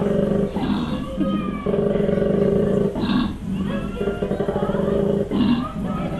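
A koala gives deep, rasping, pulsed bellows broken by breathy inhalations.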